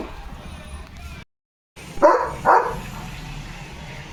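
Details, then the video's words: Leo, a pet German Shepherd at home, gives two loud barks half a second apart after a brief gap of silence. Low steady background hum throughout. "German Shepherd Barking"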